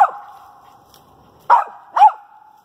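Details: Dog Pocahontas barking up at a treed squirrel in a pine thicket; an echoing bark tail, a pause, then two strong barks in quick succession.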